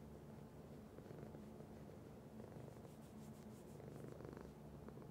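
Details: A pet cat purring, a constant low rumble with gentle pulsing that swells slightly in the second half, with faint soft rustling near the end.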